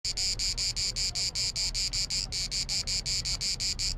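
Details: Cicada clicking and buzzing in the summer heat on the island of Biševo, Croatia: rapid, evenly spaced high buzzy pulses, about five a second, with one brief break near the middle before the rhythm resumes.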